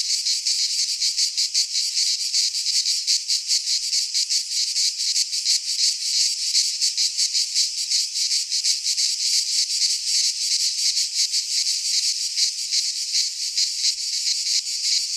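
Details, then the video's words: Cicadas singing in midsummer in a Greek pine forest: a dense, buzzing high-pitched chorus pulsing rapidly and steadily throughout, with no other sounds beneath it. "Cicadas singing in midsummer - Nature sounds from the Greek fauna - Sounds of cicadas"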